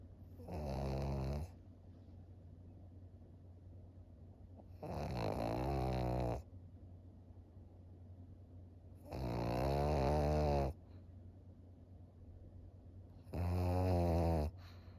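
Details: Maria, a 13-year-old senior female fawn Pug in Japan, recorded 21 July 2023, snoring indoors: four long rattling, harmonic snores roughly every four seconds, separated by quiet pauses with a steady low hum.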